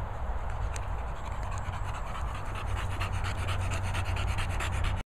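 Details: English Bulldog, one of Moll the Doll, Henry and Peppa, near swallows at Worcestershire countryside kennels, panting in fast, even, regular breaths throughout, over a constant low rumble.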